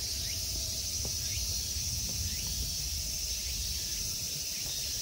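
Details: A steady, high summer insect chorus hums without pause over a low background rumble in a temple park at Ikegami Honmonji, Tokyo, Japan.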